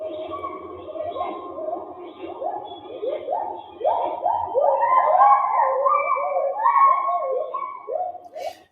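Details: Male agile gibbon from Malaysia calling, a run of fast swooping hoots that slide up and down, quickening and growing louder as the sequence climbs into higher, looping notes, with faint low room hum beneath.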